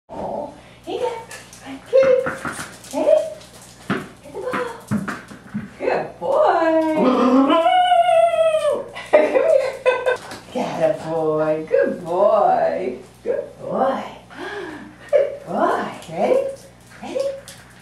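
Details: A male Norfolk Terrier puppy playing fetch at a boarding kennel gives high, wavering whines and short yips, with a person speaking nearby.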